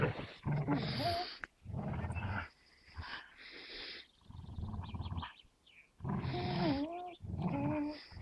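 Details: Gerundio the American Staffordshire Terrier and Baloo the Beagle clamp their teeth on a fabric toy and refuse to let go. Throaty, gravelly growls rise and fall in long sustained bouts with a few quieter gaps.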